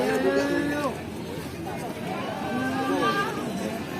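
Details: Kaligesing goat kids, Peranakan Etawa type, offered cheaply at a goat market in East Java, bleating in two drawn-out wavering cries near the start and around three seconds, with a trader's speech and market chatter behind.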